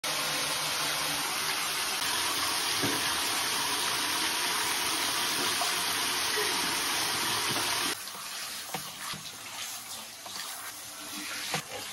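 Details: Tap water runs steadily into a tub for eight seconds, then stops, leaving quieter splashing, dripping and handling sounds.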